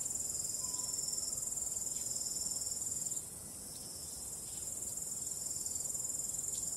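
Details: Night chorus of crickets beneath a starry sky with gentle wind, a continuous shrill trilling held at a very high pitch that softens for a moment then swells back, with faint breezy rustle underneath.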